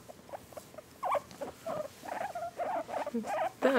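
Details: A male guinea pig, one of two being petted and tickled, gives a run of short, squeaky chirps and chutters in quick succession.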